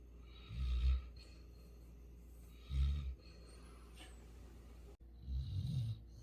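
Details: Sleeping pet Labrador Retriever Futu from Jeju Island snores, three deep rasping rumbles about two seconds apart, each a short throaty rattle with quiet breathing between.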